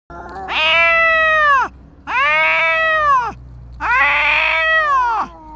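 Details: Stray cats, a tabby confronting a big white cat called Dabai: three long, drawn-out yowls, each over a second, arching up then sliding down. They come in a tense slow rhythm with short gaps and a faint low hum beneath.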